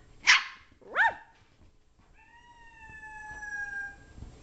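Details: Leizl, a 6-month-old Brussels Griffon worked up on the couch while someone growls at her, gives two quick yappy barks, then a drawn-out, slightly falling, nasal whine lasting nearly two seconds in a quiet room.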